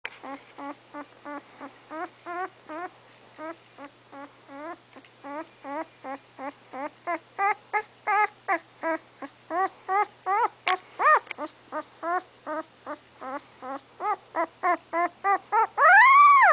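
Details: English Setter puppy named Remington, about three weeks old, before its eyes have opened, gives a rapid run of short, high whimpering squeaks, several per second, building to a longer, louder rising-falling cry at the end; indoors.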